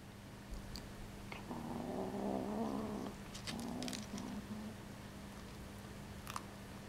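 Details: Seven-week-old Bengal kitten growling while eating a gerbil indoors: a low, rough, sustained growl lasting about a second and a half, then shorter muttered growls, with faint clicks and a steady background hum.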